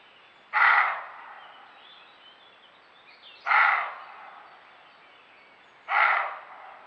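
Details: Camera-trap recording of a roe deer giving its hoarse, very sonorous, dry bark, a call used when alarmed or guarding territory; three harsh barks spaced roughly two and a half seconds apart, each fading with a short echo.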